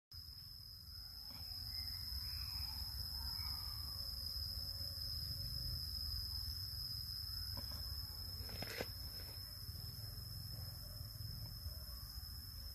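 A cicada holds a steady, high-pitched whine over low rumbling wind noise.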